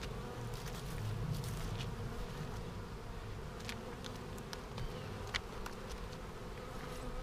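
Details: Hive of honey bees buzzing during a March 10, 2019 inspection after a vertical split, on a showery day; constant low droning with frequent light clicks and scrapes from hive handling throughout.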